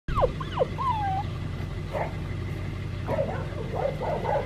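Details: Seven-week-old red merle female Australian Shepherd puppy, 9 pounds, from an Oklahoma breeder, unused to a new collar. High, sliding whines rise and fall in quick succession at the start, then softer broken yelps follow under steady low background hum.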